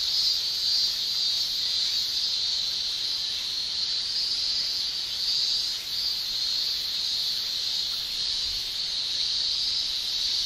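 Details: Male cicadas shrilling in a Japanese summer, the tymbal song forming a steady, dense high hiss that pulses gently in loudness throughout, with no other clear sounds.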